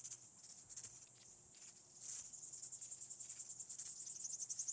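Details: Song of a striated bush-cricket at Vela Ucka, Croatia, 25 July 2023. Rapid, very high-pitched buzzy chirps follow one another in quick, uneven succession, with occasional stronger bursts and no other sounds.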